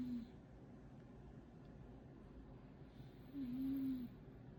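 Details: Loud snoring from Momo, a cat asleep indoors. A single nasal, tonal whistle lasts under a second, set against a faint, steady room murmur.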